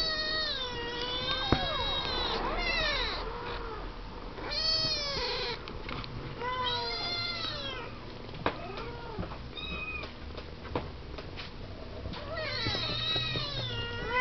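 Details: Siamese kittens, seven weeks old, talking and playing in their pen; many overlapping high, arching meows from several kittens, some long and wavering, others short, with occasional clicks and knocks between calls.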